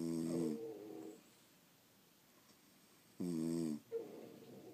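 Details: Sleeping French Bulldogs snoring indoors at home, two harsh rasping inhalations separated by a quiet pause of about two and a half seconds, each followed by a softer exhaled snort.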